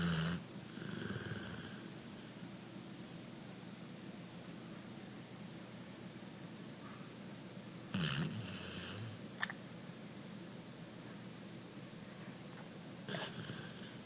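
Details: Abbie, a six-year-old rescued female American Pit Bull Terrier, sleeping and snoring gently: a soft, low rumbling breath throughout, broken by louder, rougher snorting inhalations roughly every five to six seconds.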